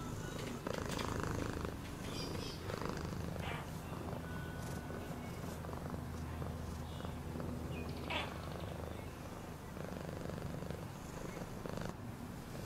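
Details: A cat purrs in a deep, continuous, steady rumble that holds unbroken throughout, with faint scattered higher sounds layered over it.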